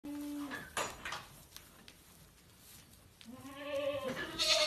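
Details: Goat in a barn, playing with and attacking a little boy, gives a short steady bleat, then after a stretch of thumps and rustling a second rising, wavering bleat that ends with a sharp noisy burst.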